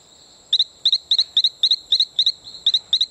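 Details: Calling male Talamanca rocket frog near Playa Bluff, Isla Colon, Panama: a steady string of about ten quick paired peeps, evenly spaced and piercingly high, with a droning insect tone underneath.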